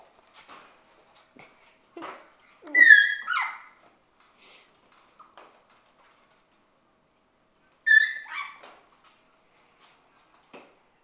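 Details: Six-week-old Shetland Sheepdog puppies from one litter at play in their play room: two short bursts of high, harmonic-rich yelps and whimpers around three and eight seconds, with soft scuffles and taps between.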